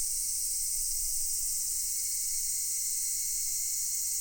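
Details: Cicadas in a massed chorus at Daichū-ji temple in Ōhira town: a steady, unbroken, shrill high-pitched hiss and drone with no pauses, filling the air and masking all else.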